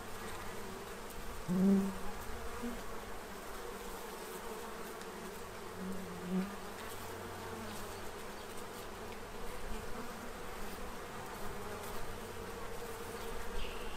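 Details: Central Illinois bees gathering at a feeding tray to prepare for winter, their massed wingbeats making an even low drone, broken by brief louder buzzes as single bees fly near the microphone.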